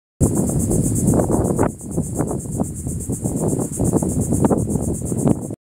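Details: Cicadas recorded on 24 July 2023. A shrill, very high buzzing drone runs steadily through the whole recording with a fast, even pulsing. Loud low rumbling wind or handling noise lies beneath it.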